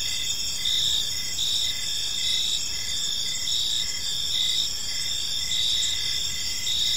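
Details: Crickets chirping in a peaceful park as evening falls, a dense high-pitched chorus of steady trills with pulsed chirps repeating about every half second beneath a continuous shimmering drone.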